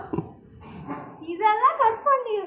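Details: A pet Doberman at home while a visiting child plays a game with it gives a high, wavering whine. The drawn-out notes rise and fall over about a second, among soft human voices.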